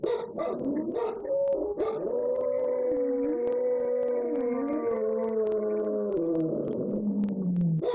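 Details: Pet dogs howling together at home while their owners are out. A few opening barks give way to long, mournful overlapping howls that rise and fall in pitch, then sink lower toward the end.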